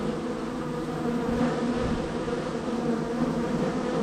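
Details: Short stretch of busy honey bee traffic at hive number 3 in the row: thick, constant buzzing with faint flickers of individual wingbeats passing through the steady drone.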